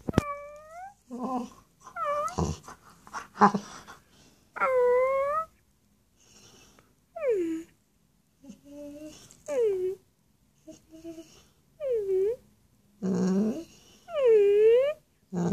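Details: A pet dog 'talking' while chatting with its owner indoors: a run of about a dozen short, whiny, yowling vocalizations, some rising, others dipping then climbing again, separated by brief pauses and softer murmurs.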